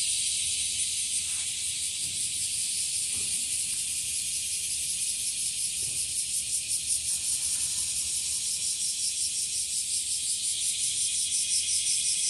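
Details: Washiwashi or bear cicada, spreading in numbers, calling from trees and grass: a shrill buzzing drone with a few soft knocks early on, growing louder and more strongly pulsed, around three beats per second, toward the end.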